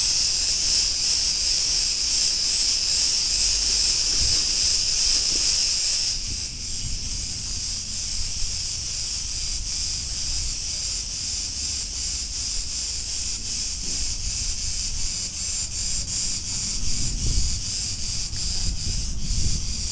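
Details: Loud buzzing chorus of Cretan cicadas recorded on a street in Ierapetra, Crete, Greece; the shrill drone drops in intensity after about six seconds, then continues more thinly, over low background rumble.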